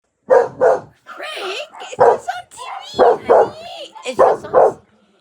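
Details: Pet dog barking at dogs shown on television: loud, sharp barks in quick pairs, roughly one pair every second, with television sounds and a person's voice between them.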